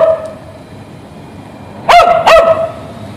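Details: ['A dog tied to a street fence waits for its owner and barks twice in rapid succession after a quiet stretch of low outdoor hum.']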